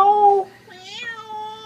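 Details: A house cat gives a strong, even-pitched meow, then after a short pause a quieter, prolonged meow with a slight upward bend that settles into a long level tone. Nothing else is clearly heard.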